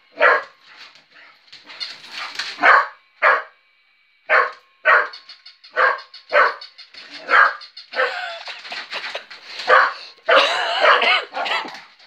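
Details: A female working cocker spaniel barks in quick, uneven bursts, with sharp yaps and a few whiny notes, at a battery-powered moving toy puppy.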